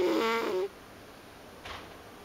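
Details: Pet cat snoring while asleep: one loud, buzzy, droning snore lasting over half a second, then a quiet pause and a softer breathy exhale.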